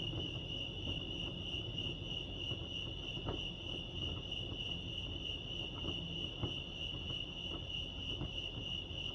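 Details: Crickets chirping at Lake Arrowhead, California: a steady, high, finely pulsed trill holds unbroken through the whole stretch, over a soft low rumble with a few faint ticks beneath.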